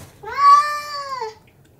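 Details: Domestic cat, one of two outdoor yard cats living in Jeju, meowing while the pair eat their food; a single drawn-out harmonic meow lasting about a second, steady in pitch then dipping at the end, in a quiet setting.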